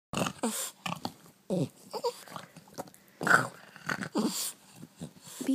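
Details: Boston Terrier at home on a morning, playing catch indoors: a run of short, rough growls and grunts comes in separate bursts, each well under a second, with a woman's voice talking between them.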